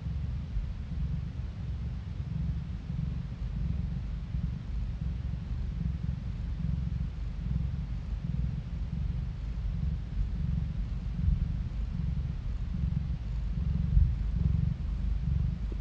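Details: Long unbroken cat purr recorded on a phone: a low, soft, rhythmic thrumming that holds steady, with a couple of slightly louder moments near the end and no other sounds.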